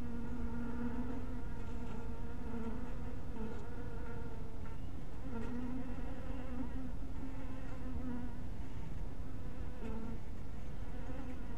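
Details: Humming of honey bees around a hive cottage in twilight light, a dense droning buzz whose pitch wobbles and dips now and then, with brief ticks and knocks scattered across the recording.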